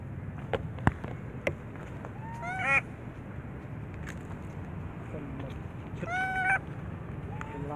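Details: Little baby monkey said to be recovering from a mental defect, crying loudly: two bursts of high, rich, arching wails with stacked overtones, separated by soft clicks and a steady low background rumble.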